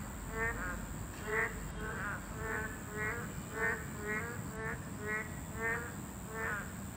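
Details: Boreal digging frogs, a class II protected species, calling at their habitat: a series of short, buzzy, harmonic notes repeated roughly every half to one second, several animals overlapping over a steady hiss.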